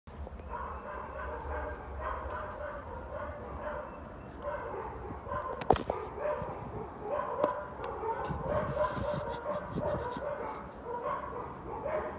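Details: Several of four neighbours' dogs barking on January 20, 2021: a dense, continuous run of overlapping barks with no clear pauses, heard at a distance over a low background rumble.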